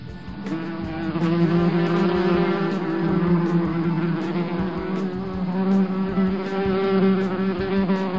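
A bumblebee gives a steady, low, droning buzz with a rich, slightly wavering hum.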